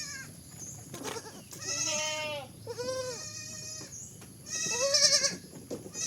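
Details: A baby goat (Capra hircus) bleats in loud, wavering, nasal cries, three in quick succession.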